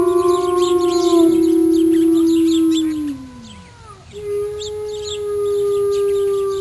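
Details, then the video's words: Mother wolf gives a long, steady, mid-pitched howl that bends downward and fades near the middle, then after a short gap begins a new level howl that carries on to the end. "Mother Wolf Howling Sound Effects"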